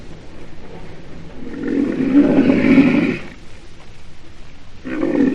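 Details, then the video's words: Rhinoceros giving a hoarse, rumbling roar that swells for about a second and a half, then a shorter second bellow after a quiet pause; low breathy background. "Sonido de un Rinoceronte"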